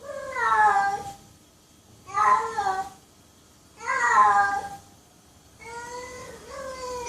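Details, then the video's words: Domestic cat meowing repeatedly indoors, four drawn, slightly wavering meows roughly two seconds apart, the last split into two short parts. "Cat Meowing Compilation"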